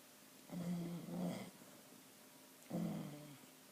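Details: Sleeping dog Chyna Doll snores in two quick low rumbling pulses, a pause, then one more throaty snore, all low-pitched and nasal.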